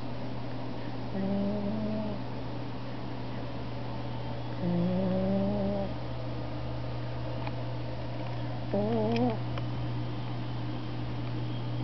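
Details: Sleeping cat on a window sill, snoring: three low, pitched, slightly wavering wheezes, each about a second long and spaced roughly every three to four seconds with each breath, over a constant low hum and faint clicks.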